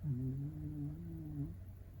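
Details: Shiba Inu puppy under a year old, sleeping indoors and snoring; one low, droning, steady breath lasting about a second and a half, followed by quiet room hum.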